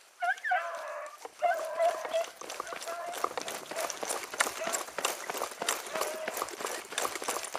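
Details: Beagle hounds, among them Ribo and Mira, giving tongue while chasing a hare that crossed through water; a few drawn-out tonal bays in the first two seconds, then steady rustling, pattering movement through cover.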